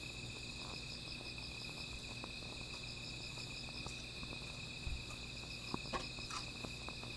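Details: High steady insect drone on a night by a small fire, with a rapid series of pulsed chirps in the upper register and intermittent crackling pops and soft thuds.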